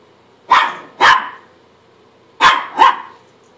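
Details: Mirror reflection sets off a Chihuahua: two pairs of sharp, bright barks, each pair fired about half a second apart, with a short pause between the pairs.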